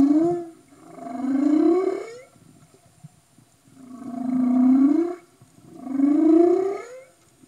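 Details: Humpback whale underwater off Tonga, 2015: three rising, moaning whoops, each about one and a half seconds long with bright harmonics, separated by short pauses with faint crackling.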